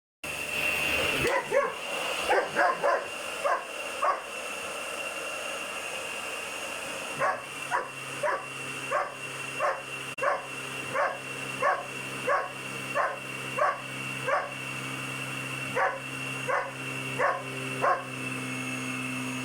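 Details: A 7-month-old German Shepherd puppy barking at a loud vacuum cleaner it hates, short sharp barks repeated about every second over a steady high motor whine, with a brief burst of louder yelps early on.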